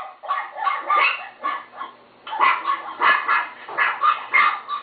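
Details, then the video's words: High, tonal yapping from a pet Chihuahua, quick bursts of bright barks in two runs separated by a short pause. "My chihuahua Timo bark"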